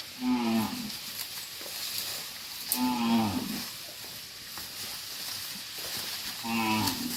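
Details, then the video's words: Cattle being herded back to a farm pen, with three short, nasal moos spaced roughly three seconds apart against a hissing, noisy outdoor background. "Funny Cow Sounds"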